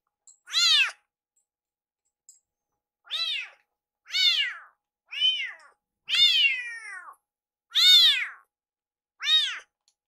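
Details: Rescue kitten Iru calls "iru" over and over, urging that food be made faster indoors; seven loud, clear harmonic meows spaced about a second apart, each rising then falling, one drawn out longer.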